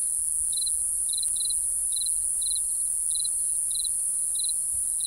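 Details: Crickets chirp at night: eight short pulsed high chirps, evenly spaced, with a single faint click partway through and a continuous shrill insect hum above.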